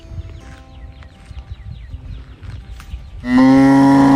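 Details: A calf calling for its mother: after about three seconds of faint twittering and low rumbling, a loud, steady, drawn-out moo bursts in and holds to the end.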